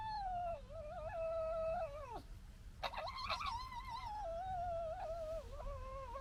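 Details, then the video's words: Foxes interacting with one another: a long, wavering, high whine with rich overtones, breaking off, then a burst of harsh chattering yelps before the drawn-out whining resumes with small quavers to the end. "Fox Funny Noise Compilation 20"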